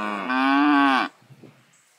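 A cow gives one loud, drawn-out moo lasting about a second, steady and slightly rising in the middle before dropping off, followed by quiet.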